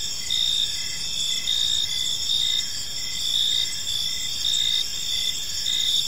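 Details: High, steady cricket chirping in a quiet evening park, the shrill chorus rising into louder trilled bursts roughly every second, otherwise calm with no birds or voices.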